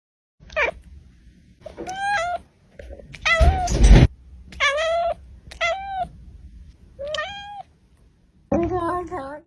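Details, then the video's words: Domestic cat meowing to express its emotions, recorded as live sound: five or six short, tonal meows, each bending up and then falling, separated by pauses, with one harsh, noisy burst in the middle and a low background hum. "CAT MEOWING"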